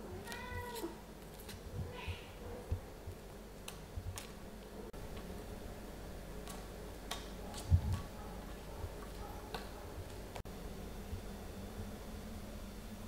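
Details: Short meow at the start, then a fainter second cry, from a cat household where mother Ophelia plays and talks with her kittens Pixel, Garfield, Bianca and Caramel; scattered taps and knocks follow.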